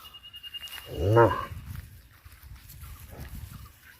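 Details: One of two black cows running around in a green field gives a short, low moo that swells and fades, calling out to the farmer, apparently wanting to go home.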